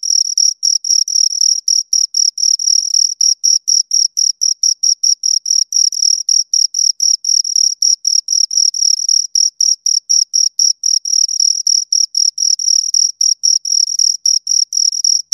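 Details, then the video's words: Two crickets chirping close by: a shrill, high-pitched ringing broken into rapid regular pulses, about four chirps per second, steady throughout with no other sounds. "Two Crickets Chirp Sounds"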